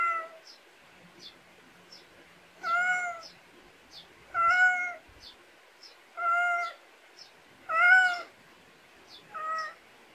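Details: Pet cat calling outdoors in a Korean countryside yard. Six clear, evenly spaced meows come roughly every one and a half seconds, each a steady, slightly falling tone, while faint high ticking chirps repeat between them.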